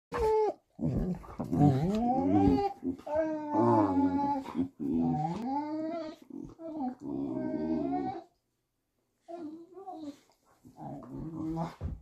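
A Vizsla 'talks' in wavering, yodel-like moans and grumbles that slide up and down in pitch.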